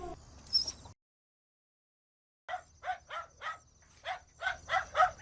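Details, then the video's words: A dog gives a quick run of about eight short, yappy barks after a brief silent gap, spaced unevenly and rising slightly in loudness toward the end. "Som de Cachorro Latindo"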